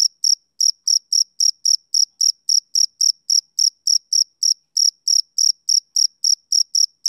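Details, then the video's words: Summer-evening chirping of a male cricket: shrill, evenly spaced pulses about four per second, with one brief pause midway before the rhythm resumes; nothing else audible. "Cricket Chirping Sound Effect"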